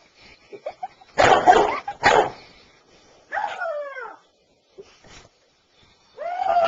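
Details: Daisy, a five-year-old pet Basset Hound, battling a stuffed toy puppy on September 23, 2007: two sharp, loud barks, then a drawn-out arching yelp, a couple of faint clicks, and another rising-falling yelp at the end.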